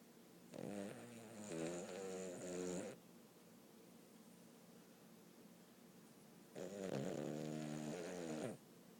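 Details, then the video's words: A sleeping dog snoring remarkably loudly: two long, rasping, buzzy snores, each lasting about two and a half seconds, separated by a quiet pause of roughly four seconds in a still room. "My dog is snoring louder than should be possible"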